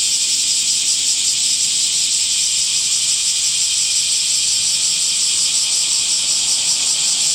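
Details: Summer cicada chorus, a dense continuous buzzing hiss high in pitch, steady and unbroken throughout with a faint pulsing shimmer; no other sounds stand out.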